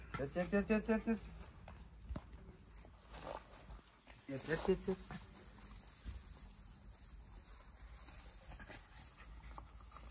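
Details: Pair of Jack Russell Terrier dogs in a friendly wrestling match. A rapid pulsing series of tonal yaps, about five per second, opens the stretch. A shorter similar burst follows midway, then low rustling and faint background noise.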